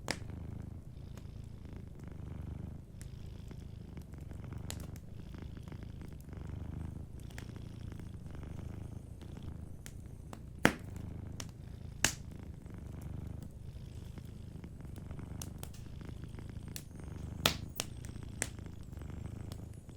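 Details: Sleeping cat purring softly beside a warm fireplace: a steady low rumbling purr in slow in-and-out cycles, with sharp wood crackles and pops from the fire scattered throughout.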